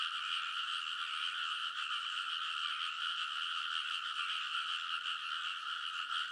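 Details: Early-summer midnight chorus of frogs on the paddy banks in Kōnosu, Saitama Prefecture, Japan, captured with a TASCAM Portacapture X8: continuous massed croaks blending into a shimmering, evenly loud drone with faint pulsing.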